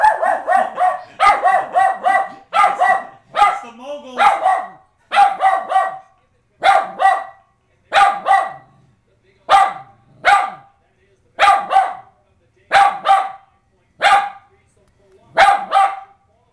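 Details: Pet West Highland White Terrier going berserk while watching the 2010 Winter Olympics moguls on TV; a long run of loud, harsh barks, about one every second, some doubled, continuing steadily through the recording.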